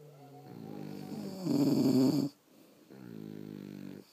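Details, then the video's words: French Bulldogs sleeping indoors, snoring: a harmonic, nasal in-breath rises into a loud rattling snore near the middle, then a quieter droning breath follows after a brief pause. "Snoring French Bulldogs"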